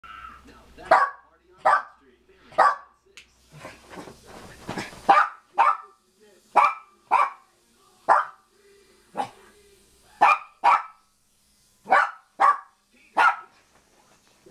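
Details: A pet dog barking at a new toothbrush it dislikes: sharp single barks repeated about once a second, steady and insistent, with a burst of noisier sound midway.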